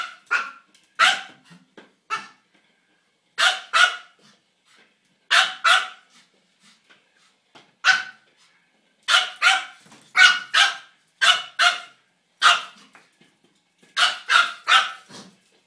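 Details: A Pomeranian at play with its toy hamster yaps in rapid bright bursts, often doubled or tripled, roughly forty barks over sixteen seconds with brief silent gaps and a quiet background.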